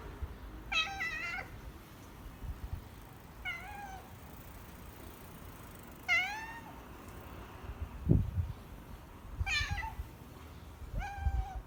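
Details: Former street cat named Mikkeu, fed for four years in a home parking lot and then taken in, gives four clear harmonic meows spaced roughly three seconds apart, some rising then falling, with a low thump near the eighth second and quiet background noise.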